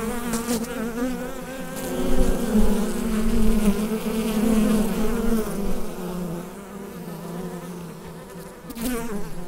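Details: Hive bees in full chorus, captured on a USB microphone, producing a continuous humming drone that swells in the first half and eases later, with faint crackles near the start and end.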